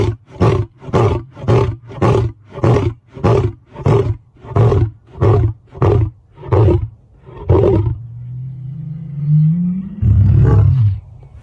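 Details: Lion (Panthera leo), roar.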